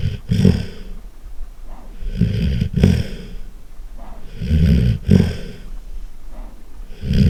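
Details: Loud snoring from a sleeping golden retriever: throaty, vibrating rasps in steady breathing cycles about two seconds apart, with short snorty bursts at the top of several breaths.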